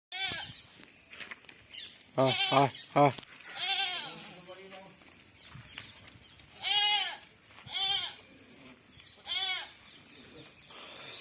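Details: Barbari goats kept for sale at a goat farm in Domjur. Short, wavering bleats come in clusters, a rapid pair near the start then single calls spaced a second or so apart, with men talking throughout.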